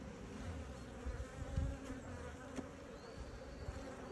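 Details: Honey bee hive during an inspection gives a low, continuous buzzing drone beneath rumbling handling noise, with one brief click partway through.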